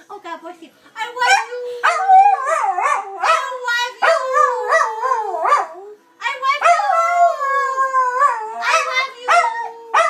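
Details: Dachshund named Dusty howling his love for his owner, a busy run of warbling, up-and-down howled syllables with one short pause midway, mingled with human vocalizing.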